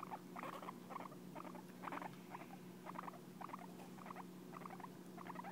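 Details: Hay, a pet guinea pig, grooming and licking its owner out of affection: rapid moist clicky licks grouped in bursts roughly every half second, fairly regular throughout, with a constant low background hum.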